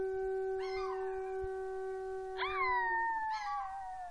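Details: Female Chihuahua-Miniature Pinscher mix howling in response to a conch trumpet blown at home. Three sliding howls rise sharply and then fall, sung over the steady, low drone of the horn.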